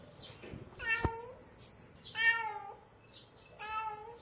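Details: Hungry kitten calling: three high harmonic meows, the first with a sharp click, the next two arched and falling, spaced about 1.5 seconds apart, with faint hissing noise between calls.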